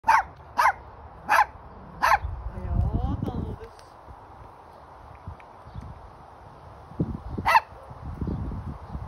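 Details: Hendo, a Pomeranian born August 2021, gives sharp, high yaps in a quick run, then falls quiet before a final bark.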